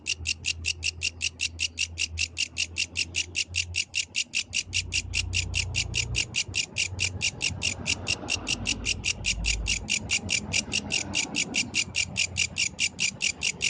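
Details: Yellow grasshopper singing at night in the wild: a steady train of bright, raspy high-pitched pulses, about five per second, with a low rumbling hum underneath.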